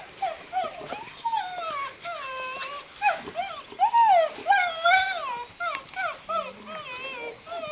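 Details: Seven-week-old Greenland Dog puppies from three litters at a Norwegian kennel in June, playing together in the yard: overlapping high whines, yips and short rising-falling squeals from several pups, busy and continuous.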